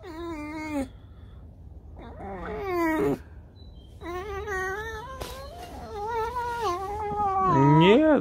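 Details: Domestic fox lounging and refusing to get up while its owner offers to fetch food; a string of bending, harmonic whines and yelps that rise and fall, ending in a sharp upward squeal, indoors.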